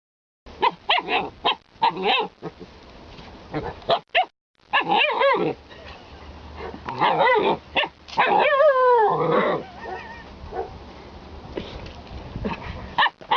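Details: Alaskan Malamute dog giving a run of short barks and yelps, then a long wavering, warbling howl-like woo in the middle, trailing off into more scattered barks and grumbles.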